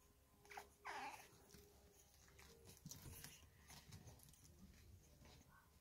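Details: Female Staffordshire Bull Terrier puppy, three weeks old, from a kennel litter, filmed indoors on 6 May 2022; one short, high whining yelp near the start, followed by quiet rustling and handling noises.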